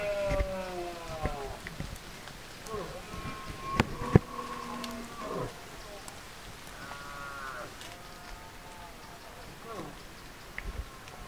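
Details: Red deer during the 2024 rut, bellowing: several wavering, harmonic calls overlap and rise and fall in pitch through the first eight seconds, with sharp clicks and knocks in between and quieter calls trailing off near the end.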